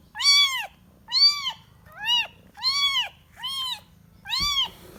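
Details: Kitten calling for its mother: six loud, clear meows in five seconds, each rising and then falling in a smooth arch, evenly spaced with short silent gaps between them.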